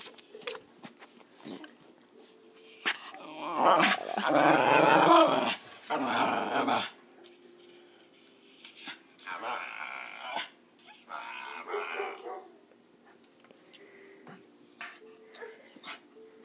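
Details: West Highland White Terrier, excited before a walk as the door opens, saying 'uba': one long, loud, growly moan in the middle of the clip, then softer grumbles, with a person's chatter throughout.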